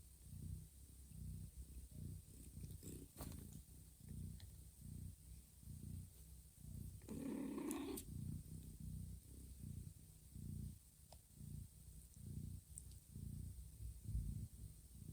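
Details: Mama cat Johanna purrs steadily while gently grooming her sleeping kittens and nudging them toward feeding in a calm room; a low, even rumble rises and falls in regular cycles, broken midway by a brief higher squeaky sound.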